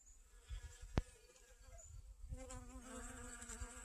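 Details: Honey bees gathering pollen and nectar from garden sunflowers on a sunny, about 55-degree day, 25 August 2021, after rain; a steady low humming buzz with stacked overtones sets in halfway through, after a sharp click and low wind rumble.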